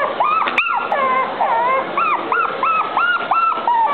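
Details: Female Maltese dog whining in a steady run of high, arched whimpers, each rising then falling, about eight in four seconds, with one sharp click near the start.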